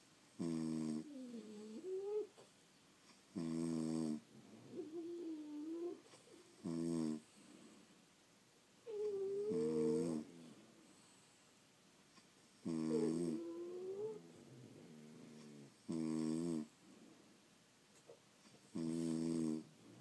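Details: French Bulldogs asleep indoors, snoring in loud rasping bursts about every three seconds, some inhalations ending in a rising whistly whine between the harsh, buzzy snores.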